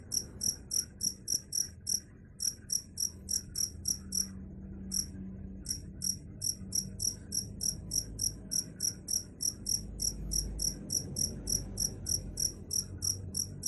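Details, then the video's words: Cricket chirping in short, regular high-pitched pulses, about three or four per second, with a brief pause near the middle and a faint low hum underneath. "Suara Jangkrik"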